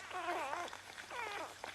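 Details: Newborn vizsla rottweiler puppy, Bailey's sixth pup, just born: two thin, high, wavering squeals, the first longer with a bending pitch, the second rising then falling, separated by a short pause, with a faint low hum behind.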